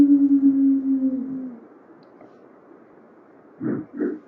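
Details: A lone wild female gray wolf, separated from her pack and seemingly trying to find them, gives a long, low, steady howl that slides down at the end; she howled for 30 minutes, an hour after elk ran past.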